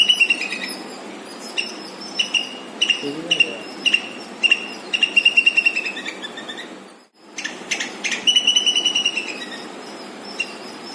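A squirrel gives loud, high-pitched chirps in quick, stuttering bursts, repeated every second or so.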